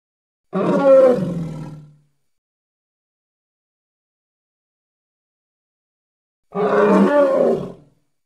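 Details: Two hoarse, harmonic roars from a hippo in the Congo, each lasting about a second and a half, separated by around four seconds of complete silence.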